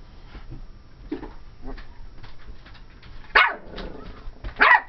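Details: Two quick, bright barks close together near the end from Ivory, a 12-week-old cream and white Pomeranian female, at play indoors after a stretch of soft rustling.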